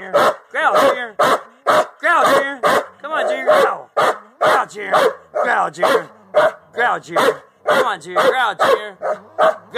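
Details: Two Belgian Malinois give rapid, harsh barks and growls on command: a female growls guarding a ball while a male, kept from the ball, barks knowing the growl command.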